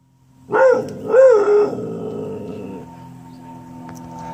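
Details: A female dog barks at a brown UPS delivery truck, giving two quick, rising-and-falling barks with a slightly howling, yelping tone.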